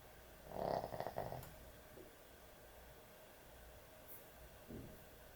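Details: Puppy asleep at bedtime giving one short, rough, rattling snore near the start, then near silence broken only by a faint soft breath later on.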